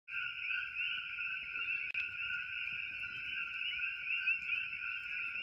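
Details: A dense chorus of coqui frogs in Hilo, Hawaii, their high whistled notes blending into a steady, ringing drone.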